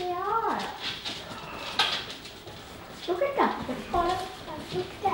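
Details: German Shepherd puppies mixing with adult German Shepherds Titan and Paisley indoors; thin, high whines sliding downward in pitch, heard in short bursts near the start and again midway, over background talking.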